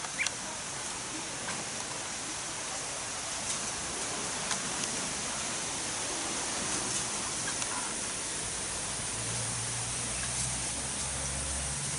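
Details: Steady hiss of wind or rushing water with faint clicks and a low engine-like hum near the end; no animal calls stand out.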